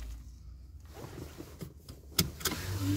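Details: A low mechanical hum runs throughout, broken by a few sharp clicks and a whirring like a car's power window, with no animal voice.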